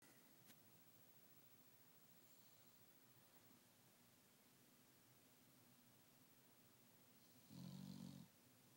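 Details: Dog snoring during nap time: soft, low rasping breaths through most of the stretch, then one louder, deeper snore rumbling for under a second near the end.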